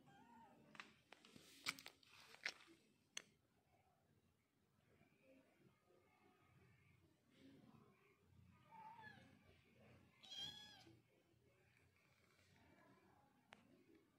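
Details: Cute village kitten giving short, high meows that rise and fall, a few faint calls scattered among clicks and handling noises in a quiet indoor setting.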